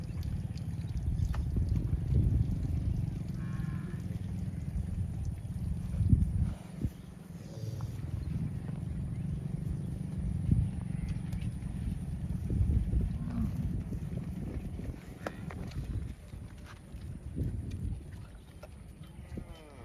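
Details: Cows roaming the fields, calling for friends: two long, deep, droning moos, the first lasting about six seconds, the second about seven, with scattered clicks and rustles of movement in the background.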